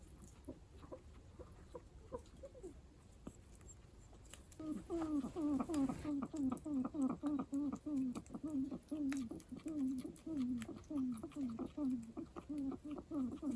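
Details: Pet guinea pig making strange noises at home: after a few quiet notes, a long series of loud, low, downward-sliding squeaky calls repeated rapidly, about one and a half per second, with faint clicks in the background.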